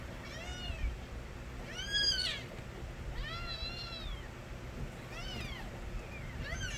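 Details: Loud crying of young street kittens: thin, arching meows repeated about once a second, several voices at different pitches, set against a noticeable low-frequency background rumble.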